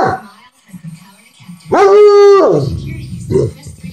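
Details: Bloodhound named Elvis protesting vocally after being told no, a loud drawn-out tonal howl-like groan lasting under a second, held level then sliding down, followed by a short grumble.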